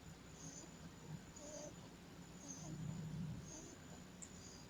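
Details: Pug dog snoring while asleep, a low steady rumble with soft rhythmic breaths rising and falling, plus a constant faint high whine and brief airy puffs above.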